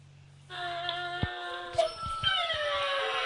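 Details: Anubis, a pet Dobermann, trying hard to howl: a long, steady, high-pitched wavering tone holding level, with a brief squeaky rise near the end and faint room noise.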